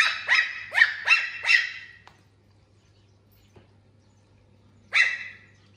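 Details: Puppy Puffyk reacting to a laser pointer with a quick run of five high, sharp barks in the first two seconds, a pause, then one more bark near five seconds; low hum in the background.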